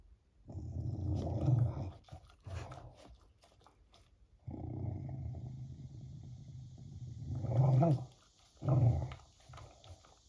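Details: Beagle growling while eating ice cream indoors, the dog's only show of anger coming when someone teases it with food; low rumbling growls in three bursts, with cicadas buzzing in the background.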